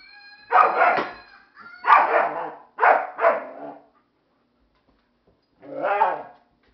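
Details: Disapproving barks from the dog Jäger aimed at a Flying Monkey toy: loud harsh woofs, one alone, then a close pair, then a last bark after a short silence.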